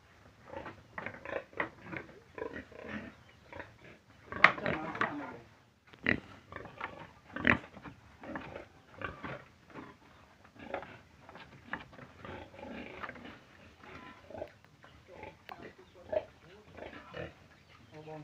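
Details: Quiet, scattered pig grunts and snuffles, short clipped bursts at irregular intervals with one sharper, louder grunt partway through, heard in a small indoor space.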